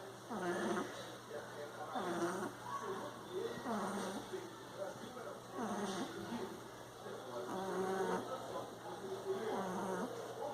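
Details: Frederico, a bulldog, snoring while asleep: slow, rough nasal snores with whistling tones, roughly one every two seconds, steady and low, in a quiet room.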